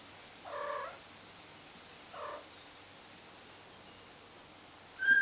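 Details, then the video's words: Scared kitten calling out for its mother: two short, soft meows about a second and a half apart, then quiet, with faint high chirps overhead and a sharp squeak at the very end. "Scared Kitten Calls Out For Its Mommy"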